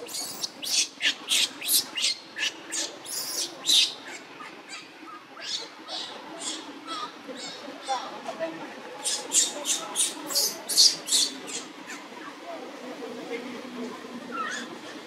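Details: Newborn baby monkey Luno at a Cambodian temple calls for its mother Lucie with bursts of high, harsh squealing cries, fast and uneven, pausing briefly mid-way before another quick volley; faint human talk and background noise underneath.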